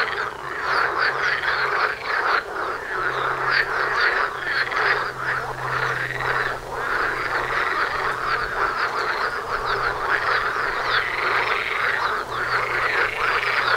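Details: Dense outdoor frog chorus by a front door, numerous frogs giving rapid, grating, repeated croaks that blend into an unbroken pulsing roar, individual curved calls rising and falling above the mass, a low hum beneath.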